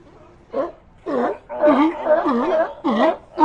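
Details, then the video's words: A run of hoarse, bleating sea lion calls, first two short bursts then a longer wavering moan, followed by another bleat and the start of one more. "Ambient Sea Lions"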